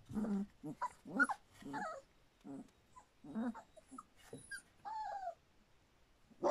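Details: Standard Poodle puppies a little over three weeks old: soft low grumbles and growly mutters, then thin falling whines near the end, several pups calling irregularly.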